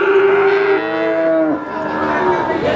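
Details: Cow lowing at the Wagenan cattle market in Pati, a steady tonal moo lasting about a second and a half that lifts slightly before breaking off, followed by a rougher, noisier bellow amid market bustle.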